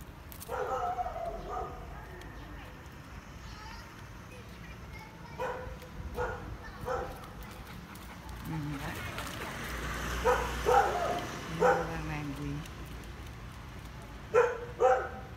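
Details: On a sunny day, small dogs near a house rush out and bark in sharp, irregular bursts to scare off a dog passing on the road, over steady talking and background noise.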